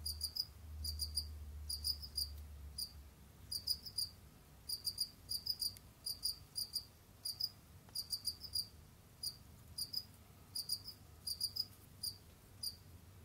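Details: Kept Jamaican field crickets, Gryllus assimilis, roaming, digging and hunting: short high chirps in groups of two to four pulses, repeated irregularly every half second to second, over a low steady hum.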